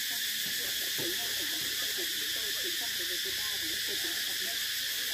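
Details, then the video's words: Cicada chorus: a steady, shrill, hissing drone with layered high bands that never pauses, with soft lower wavering sounds scattered underneath. "Tiếng Ve Sầu kêu hay nhất"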